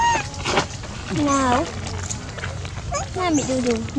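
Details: Baby monkeys at feeding time, with one named Dodo screaming loudly to request food; several harmonic, arching cries that rise and fall in quick succession, with background chatter and noise.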